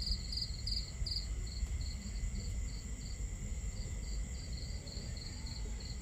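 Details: Crickets chirping at night in a camping setting under a starry sky: high, short pulsed chirps repeated in quick bursts, some doubled, over a steady low rumble of crackling fire and running water.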